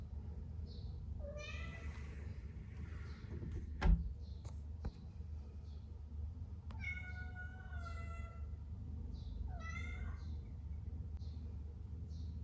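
A domestic cat gives three drawn-out, wavering meows over a steady low hum.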